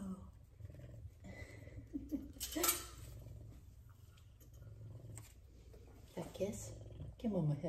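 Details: Two F2 Savannah cats purring while being petted and giving affection; a low, steady rumbling purr runs throughout, with a person's soft talking and kissing sounds breaking in over it.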